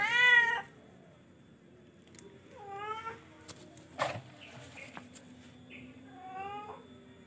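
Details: Charcoal F1 cat (kucing) meowing: a loud, harmonically rich meow at the start, then two softer, shorter meows around three and six seconds, with a few sharp clicks and knocks in a quiet room.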